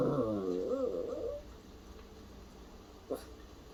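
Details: A puppy, described as imitating a cough and sounding worried, gives one long warbling, wavering whine-moan with rich harmonics lasting over a second. A faint short click follows near the end, with quiet room background.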